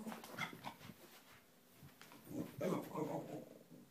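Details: A Cairn Terrier playing around gives short, rough growls and whiny yelps in uneven bursts, with a person talking.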